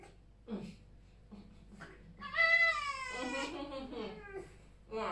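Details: Vasilisa, a pet fox, indoors near a fireplace during the morning routine, curious about a toothbrush. A loud, high, whining cry with many harmonics lasts about a second, bending upward and then sliding down. Soft human voices come before it.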